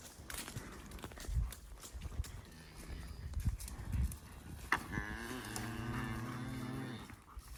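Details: Cows being held by working dogs while cleaning up cattle ahead of the fall gather: after thumps and rustling, a single drawn-out, low, rich moo of about two seconds rises and fades near the end.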